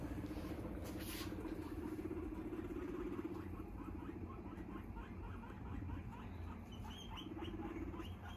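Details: Pet guinea pig with a cardboard box hidey house or play box, giving a low, rapidly pulsed rumbling purr, steady through the first three seconds and returning near the end, over faint rustling and room noise.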